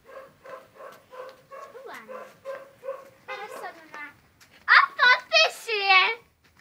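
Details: Molly the husky dog murmurs a string of short, evenly spaced woo sounds about every half second, then breaks into four loud, sharp yelping calls in quick succession.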